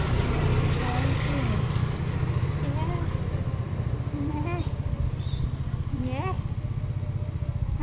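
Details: Hungry tuxedo cat with a black nose meowing loudly for food: several drawn-out, wavering meows that rise then fall, spaced a second or two apart, over a steady low engine rumble and a person talking.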